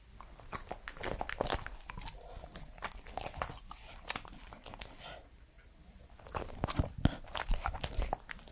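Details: Close, dense biting and crunching from Edmundo, a three-year-old Pembroke Welsh Corgi, eating in a small indoor room. Rapid crackly chews run almost continuously, briefly softening midway before loud crunches return.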